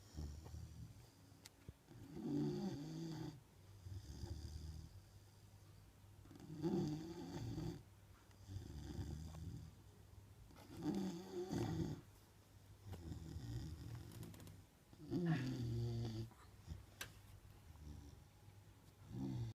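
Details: Neapolitan Mastiff Margo snoring steadily while asleep in a room, a regular cycle of deep, rattling low snores roughly every four seconds, about five in a row, with a faint steady hum beneath.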